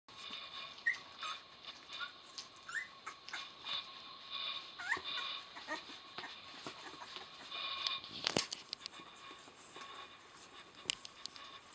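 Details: Eleven-day-old puppies from Rosalie's litter, eyes just opened, give several faint high squeaks spread across the clip amid steady rustling and shuffling in a small indoor space.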